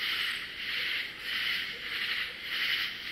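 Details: Large numbers of katydids call loudly in unison at night in a Southern swamp, a dense, harsh, high-pitched chorus swelling and fading roughly once a second, with no other sounds standing out.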